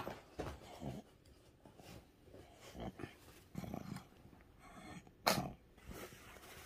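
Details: A pug having a strong seizure, treated with antiepileptic medicine through the nose, gives repeated rough snorting breaths and low grunts, one sharp sneeze-like burst standing out, over faint rustling.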